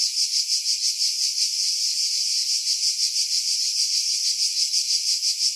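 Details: Cicadas in July 2018 among pine trees about 50 m above the sea at Pefkos Bay, Skiros Island, Greece, filtered to remove wind: a dense, high shrill buzz pulsing about three times a second without pause.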